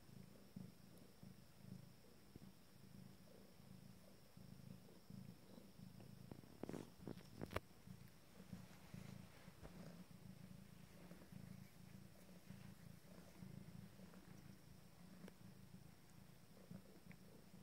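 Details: Steady low purr from an Abyssinian mother cat nursing 5-day-old kittens of her first litter while sitting. The rumble pulses evenly, with a few brief rustling clicks near the middle.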